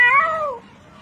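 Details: A cat calling for help while drowning before being rescued by rope: one loud drawn-out meow, rising slightly then falling and fading within about half a second, with a man's voice nearby.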